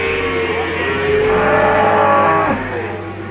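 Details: Peranakan Ongole feeder cattle offered for sale; a drawn-out moo with harmonics that bend and fall near the end, set against steady background music and a constant low hum.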